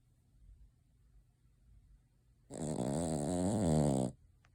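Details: Cavalier King Charles Spaniel Noah, sleeping with open eyes and twitching nose as if dreaming, gives a quiet breath followed by one loud wavering snore of under two seconds.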